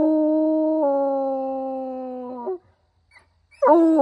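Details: A hound gives one long, level howl of about two and a half seconds, stepping slightly lower partway through and trailing off. After a short pause, the next howl begins.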